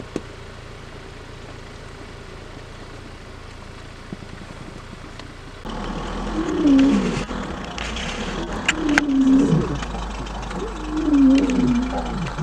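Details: Male lion roaring in a territorial dispute one morning in the far southern Kruger National Park as a takeover begins; after engine hum, moaning low calls with bending pitch rise and fall in three swells, with clicks and vehicle noise.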